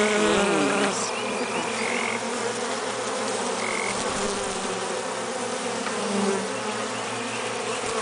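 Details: Honey bee drones buzzing outside a hive, unable to get back in through a screened robbing entrance; a dense, steady droning hum throughout with a few brief higher tones over it.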